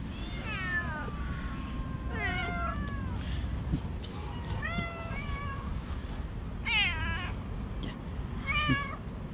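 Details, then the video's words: Stray cats on the street in a fight, one aggressive cat attacking the others; repeated wavering meows and drawn-out yowls, some sliding down in pitch, with constant low traffic-like rumble behind. "Cat with Psychological Problems Attacks and fights with other cats."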